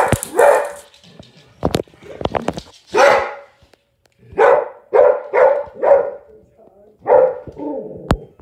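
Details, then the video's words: Springer Spaniel Jaxston confronting a Robosapien X robot toy; loud, sharp barks come in bursts, a cluster of four near the middle, mixed with sharp clicks, a voice, and a brief mechanical-sounding tone near the end. "Jaxston The Springer Spaniel Barking At WowWee Robosapien"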